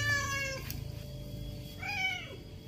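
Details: A 1-year-old male stray tabby domestic shorthair cat in Rawang, Selangor, who meows loudly for attention, gives two rich, harmonic meows, the second rising then falling.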